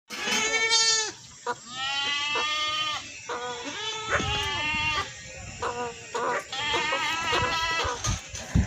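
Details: Goat bleating: a series of wavering, nasal, harmonically rich bleats, each about a second long, coming in quick succession with short pauses and a few brief clicks between them.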